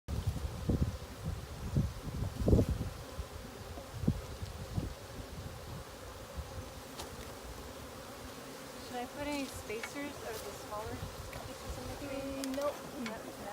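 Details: Honey bee swarm being caught at a sanctuary in April 2018: a steady, low humming drone runs throughout, overlaid by heavy thumps and handling knocks early on, with brief voices later.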